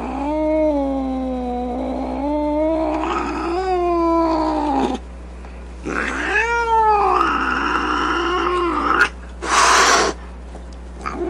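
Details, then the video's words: Angry cat snarling and yowling in drawn-out, wavering wails that swoop up and down, followed by a short, loud hiss near the end and a steady low hum beneath. "Cat Angry Sounds | Cat Snarling, Cat Hissing, Cat Moaning | Angry Cat Sounds"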